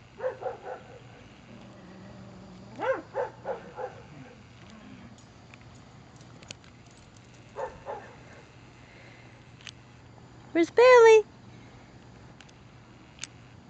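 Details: Bailey, a Beagle, during rough, direct play with his Poppa: clusters of short, gruff barks and grunts early on, a few more in the middle, then a loud, high, wavering whine-yelp near the end over a steady low hum.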